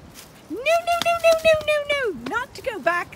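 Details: Zwartbles ewes on a regenerative farm in County Kilkenny, Ireland, rushing across to their evening field and meal: one long, steady, strong bleat, then several shorter bleats that dip and rise, with a person's voice nearby.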